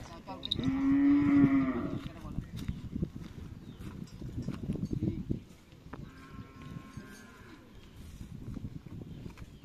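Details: Cattle at a karapan sapi (bull race) training session on the Asemanis field, Pamekasan: one loud, steady, harmonic moo of about a second and a half, then a fainter second low call, amid crowd chatter and field noise.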